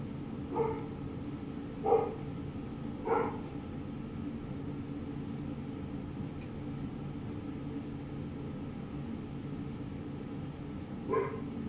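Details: A determined mini French Bulldog named Milo, climbing a plant after noticing a flower, gives three clipped barks roughly a second apart, falls quiet, then barks once more near the end; a constant fan-like hum underneath.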